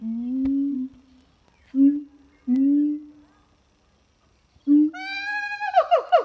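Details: Captive siamang gibbons at Zoo de La Fleche singing one hot summer morning, 6 August 2018: several deep, sustained booming hums separated by pauses, then a loud rising harmonic wail breaking into quick bark-like notes.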